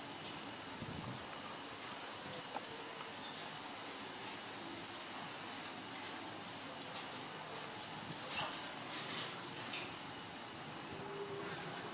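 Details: A steady broadband hiss fills the recording, with faint rustling and a distant rumble like passing traffic. No animal call stands out above the noise.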